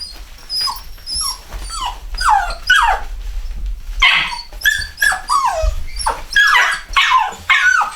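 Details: Cocker Spaniel x Poodle puppies, a chocolate Cockapoo litter bred at home, keep up a chorus of downward-sliding whines and yelps, growing louder and more crowded in the second half.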